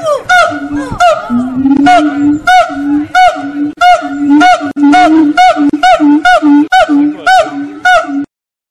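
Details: Singing monkeys at Fota Wildlife Park, Cork Harbour: a steady run of loud, ringing hoots, about a dozen in quick succession, each swelling and briefly rising in pitch, ending abruptly.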